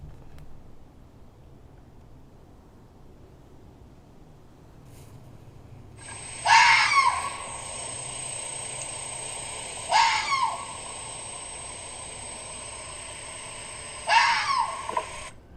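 A fox gives three harsh, high-pitched, scream-like barks, spaced a few seconds apart.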